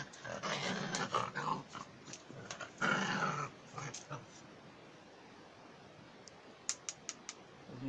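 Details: A German Jagdterrier gives throaty, rasping growls in uneven bursts for about four seconds, then falls quiet, leaving only a few sharp clicks.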